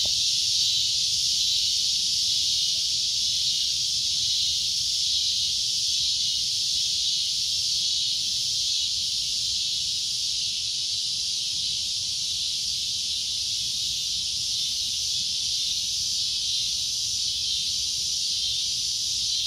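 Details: Cicada giving a loud, shrill, continuous droning buzz, steady and unbroken for the whole stretch, concentrated high in pitch with no pauses; faint low rumble underneath.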